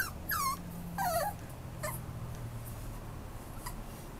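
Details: White Schnauzer, a young dog offered by a breeder, giving two high, falling, whining whimpers in quick succession, then fainter short yelps, over a steady low background hum.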